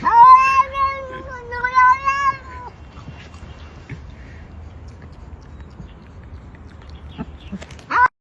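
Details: A cat making strange, speech-like sounds: two drawn-out, wavering meows in the first three seconds, then quiet background hum with faint rustles and a short sharp sound at the end.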